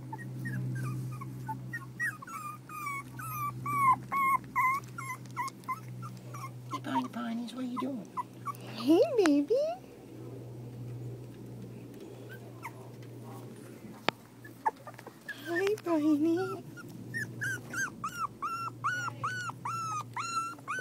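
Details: Puppies four weeks old give bursts of rapid, thin high squeaks and short rising whimpers at the start and end, with a person's soft talk in the middle and a constant low hum beneath.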